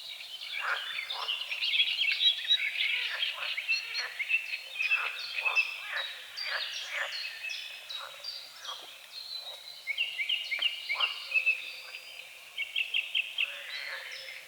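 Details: Frogs croaking at dawn over a small lake on the edge of the forest: short, hoarse, repeated croaks come in uneven bursts, denser near the end, under a steady chorus of high, whistled birdsong.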